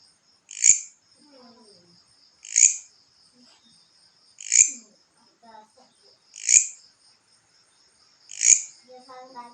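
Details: Grasshopper calling at night during a contest: five sharp, high chirps spaced about two seconds apart in a steady rhythm, with faint lower twittering notes between them.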